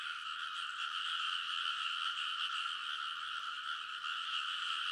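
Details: Rice-paddy frogs in full chorus late at night in early summer, Konosu, Saitama, Japan, captured with a TASCAM Portacapture X8; a steady, shimmering wall of rapid croaking that never drops out.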